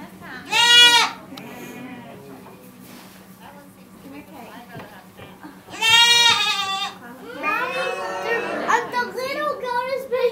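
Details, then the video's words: A baby goat gives two loud, quavering yells about five seconds apart, followed by a noisier stretch of overlapping cries and bustle, with a low hum throughout. "Yelling baby goat"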